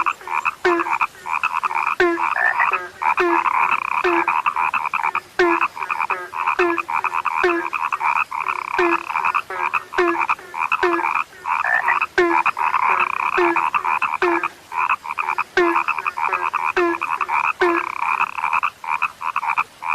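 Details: A chorus of frogs called rare, many voices overlapping in a continuous humming drone, with regular snapping croaks that drop in pitch and repeat roughly every half second for the whole stretch.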